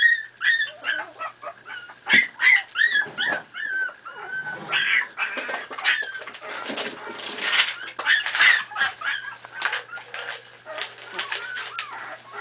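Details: Miniature Pinscher puppies, four and a half weeks old, squeal and whine during play: quick high-pitched yips overlap in busy bursts, louder at the start and again midway, with wavering whimpers between.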